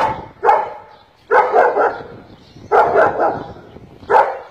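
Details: ['Black-faced, double-coated male German Shepherd giving four bursts of deep, rough barks, some doubled or tripled, spaced about a second apart.']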